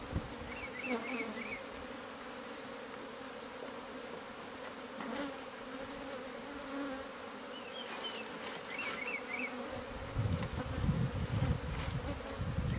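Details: Bees of a hive concealed in a home's walls, during removal; an even, low buzzing hum throughout, with short bright bird chirps early and mid-way and loud rumbling handling noise in the final seconds.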